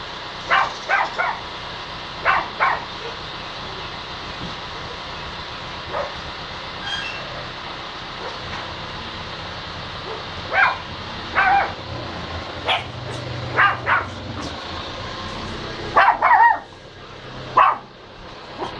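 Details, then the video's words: Dog giving short, sharp barks, scattered singly and in quick pairs across the recording, some louder and higher near the end, over a steady rumbling background like passing traffic or a train. "Look I can Bark"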